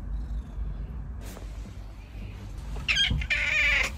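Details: Domestic cat described as affectionate and clingy, one of a pair of pet cats named Da Huang and Haitang. Quiet room at first, a soft thump, then a short high meow near the end.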